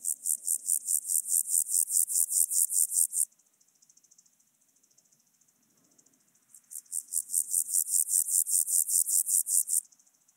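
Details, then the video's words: On Obir in Austria, 30 July 2022, a Chorthippus alticola grasshopper gives two bursts of high, rasping pulses, each lasting about three seconds and swelling in loudness. The bursts are separated by a quieter, softer pulsing pause. "Chorthippus alticola -- Höhengrashüpfer"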